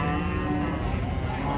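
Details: Cattle unloading from a truck at a market give a steady, low, droning moo held for the whole moment, with a faint murmur of voices around them.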